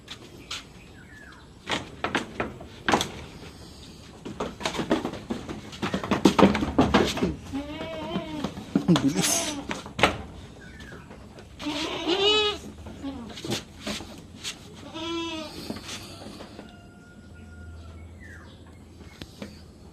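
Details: Domestic goats bleat while being given iron injections on a backyard farm: several wavering, harmonic bleats break through around the middle and end, mixed with human speech, handling knocks and a door-like bang.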